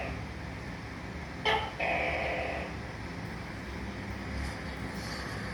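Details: Single tokay gecko (tắc kè) call cutting through steady low traffic-like rumble: a short abrupt bark leading straight into a drawn-out, rasping, nasal syllable.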